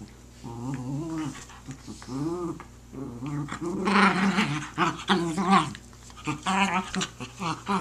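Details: Jack Russell Terriers playing tug of war with a blanket indoors: bursts of harmonic, rumbling growls that swell and fade, several rising into whiny snarls, with short quiet gaps and soft rustling between them.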